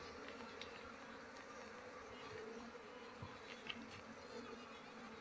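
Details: Honey bees at harvest time, when durian, mango, rubber, kapok, rambutan and coffee trees bloom and beekeepers collect honey: a steady, low droning hum of many wings with faint scattered ticks and clicks above it.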